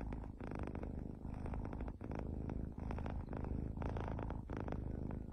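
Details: Pet cat giving a continuous deep purr, rapid fine pulsing held low and even with only brief dips in loudness.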